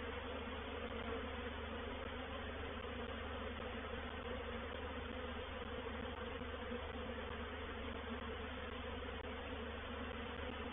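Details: Reproductive swarm of honey bees moving into a bait hive at Painted Peacock Manor, 04/07/21: a dense, steady, unbroken hum of many wings with a low droning tone, constant in loudness throughout.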